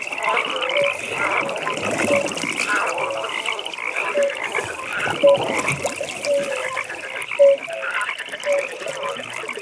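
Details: Frogs calling at a pond in a nighttime atmosphere: a steady high pulsed trill runs throughout, with short clear mid-pitched notes and scattered rough croaks from several callers.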